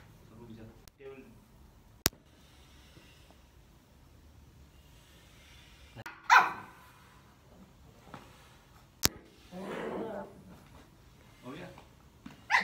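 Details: A Lhasa Apso puppy playing with a bag gives a few scattered sharp barks and yips between rustling and sharp clicks, with quiet stretches and some speech nearby.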